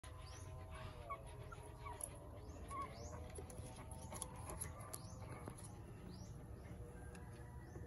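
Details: Ten-day-old Shih Tzu x Aspin mixed-breed puppies giving faint, wavering whines with layered overtones, repeated through the clip over a steady low hum, with sharp high sweeping chirps in the background.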